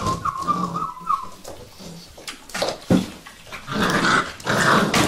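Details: Vizsla puppies, Sejla: a thin, steady high whine held for about a second opens, then low grumbling growls and short rough scuffling bursts follow, getting louder toward the end.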